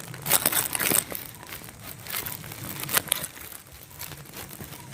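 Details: Crinkling and crunching noises in a small indoor room, with faint speech in the background and no animal call audible.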